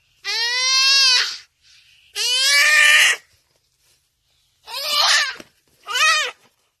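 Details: A buck crying for help while caught by a cheetah: four loud, harmonic bleating cries with falling pitch, the first two long and the last two shorter, separated by short silent gaps.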